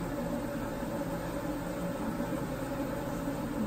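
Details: Steady hum of a motor or engine indoors with broadband hiss and no animal voice.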